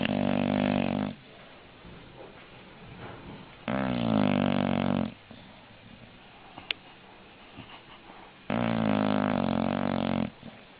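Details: An English bulldog snores loudly, three long raspy, droning inhalations lasting about one to one and a half seconds, spaced roughly three to four seconds apart, with soft breathing and a brief click between them.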